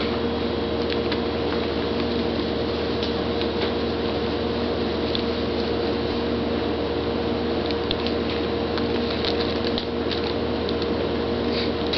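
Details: Constant mechanical hum with steady tones and faint patter, like a running appliance, with no animal sound.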